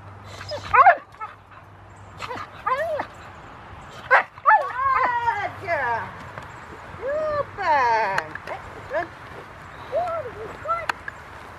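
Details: Rottweiler Foofy at Victoria Rottweiler Club, 2 August 2020, excited at the start of protection training. The dog lets out a string of sharp yelps and curved, squealing whines, with human voices in the background.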